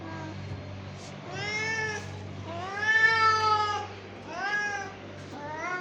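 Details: Angry domestic cat giving a series of four rising-then-falling meows, the middle one longest and loudest, with short gaps between, over a steady low electrical hum.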